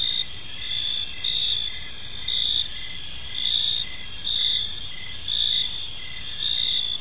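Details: Crickets calling at evening in a park: high steady trilling joined by clear pulsed chirps repeating roughly every second, each burst briefly louder, over faint low background noise.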